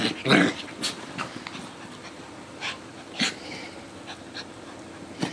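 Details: Two dogs, a Coton de Tulear and a Yorkie Lowchen mix, playing together indoors; short growly, snorting bursts come in scattered spurts a second or so apart, with a louder rough grunt near the start and quiet breathing between.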